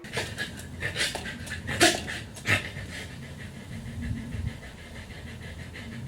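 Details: A dog panting in quick, uneven breaths, with a couple of louder breathy bursts near the middle; people laugh and coax it with "come on" close by.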